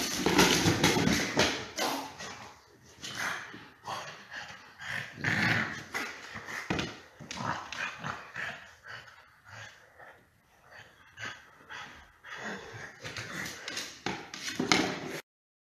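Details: A French bulldog recovering from surgery grunts, whimpers and gives short barks in rapid bursts while playing around alone, with its owner away.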